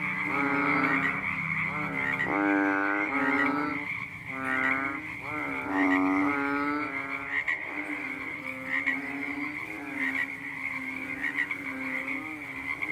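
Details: A water frog gives nasal, buzzy croaks in bursts of about a second at night, over a steady high insect drone.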